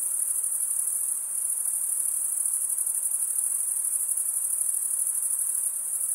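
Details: Stridulating crickets, mostly males rubbing their serrated wing veins together. The high-pitched trill pulses quickly and somewhat unevenly, about 146 beats a minute, steady in loudness, with no other noise.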